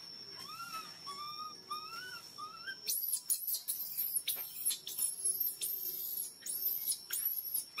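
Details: Hungry baby monkey crying loudly to ask for milk: four arched, whistly wails rising then falling, followed by a run of piercing, very high screeches in quick bursts, with a steady thin electrical-sounding tone underneath.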